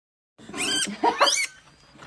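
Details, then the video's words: Guinea pig squealing, edited with music: two loud, harmonic squeals rising and falling in pitch over about one second, followed by quieter sounds and a short high note at the end. "Guinea Pig Squealing"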